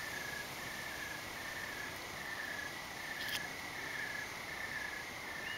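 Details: Evening crickets in the dark under thick clouds: a steady, high, shimmering trill pulsing in short repeated bursts, with one brief sharp click.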